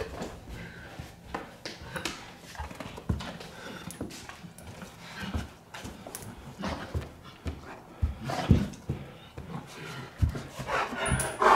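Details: A 125-pound Giant Schnauzer indoors, just learning to climb steps, panting in quick breathy bursts mixed with heavy thumping footfalls on the stairs and a person's voice urging it on.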